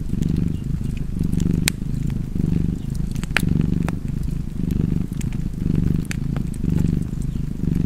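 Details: Low throbbing purr of a cat, rising and falling in even breath cycles near one per second, with occasional sharp wood-fire crackles on top.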